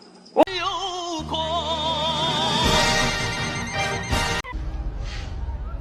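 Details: Operatic singing with a vibrato voice over music, a sharp crash near the start, and a noisy, busy ending; no animal sound is heard.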